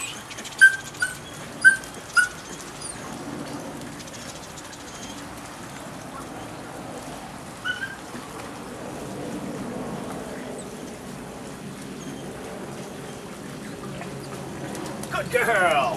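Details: Nine-week-old female puppy from the Rodin/Katana litter giving three quick high-pitched yips with harmonics in the first two and a half seconds, then a single yip near eight seconds, over steady low background hum and a rising noise at the end.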